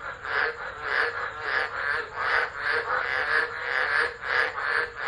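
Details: Tropical frogs in full chorus during a storm's tropical low at Driver, Northern Territory, Australia, December 2013, phone recording: loud overlapping raspy croaks pulsing about twice a second in rolling waves over rain noise.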